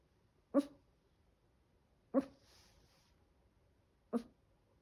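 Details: A 7-month-old Chihuahua puppy gives an odd sound: three short, abrupt yelping bursts spaced roughly every one and a half to two seconds, with a faint breathy hiss after the second, otherwise quiet indoors.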